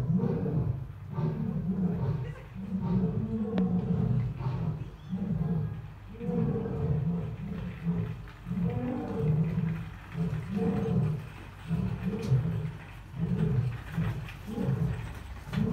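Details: Asiatic lion kept at Dublin Zoo producing a long, continuous stream of low, rough grunts and rumbling pulses, closely packed and uneven, without pauses, over a murmur of background sound.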